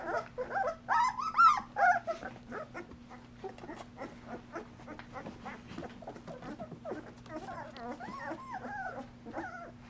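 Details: Golden Retriever pups at two weeks old, wobbly walking in the whelping box while mother Mercedes cleans and nurses them; brief squeaky whines early, then a low murmur of faint whimpers and rustling before more rising whines near the end.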